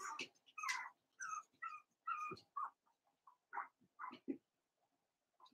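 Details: Daisy's four-week-old Cavalier King Charles Spaniel puppies in an indoor pen give quiet, thin whines and short mewing yelps in a loose sequence that fades out toward the end.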